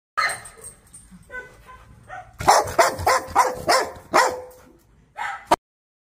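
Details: Dog giving a quick run of sharp barks and yips, about six close together, then a final short bark after a pause, with fainter whining sounds before the burst.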